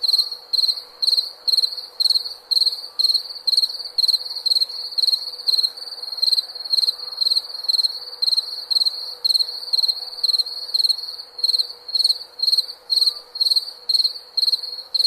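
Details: Cricket chirping offered as a relaxing nighttime backdrop for sleep, a steady train of shrill pulsed chirps about two per second, each chirp made of quick rapid pulses, continuing evenly without pause.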